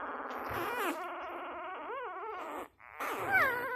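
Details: Six-day-old Labrador Retriever puppy giving soft, wavering whimpers and squeaky grunts, with rising-and-falling harmonic squeals near the end after a brief pause.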